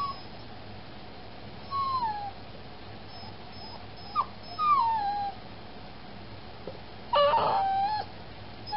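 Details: Spayed female puppy in foster care, awake at night after surgery, gives drawn-out falling whines, a short sharp whimper, then a brief harsh yelp near the end over constant low background hum.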